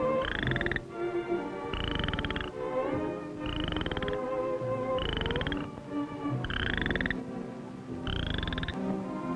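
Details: In spring in the central and southern United States (Missouri), a toad gives short, buzzy trilled bursts, each under a second long and repeated about every second and a half, over a steady low background hiss.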